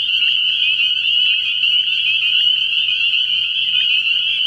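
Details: Early-year night at a frog pond: many spring peepers call together, their shrill high notes fusing into a constant, slightly wavering trill throughout, over a quiet low hum.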